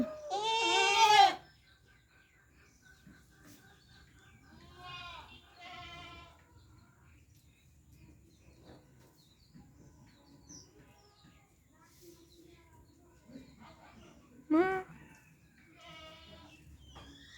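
A goat gives a loud, wavering bleat, then softer bleats follow through the rest of the clip.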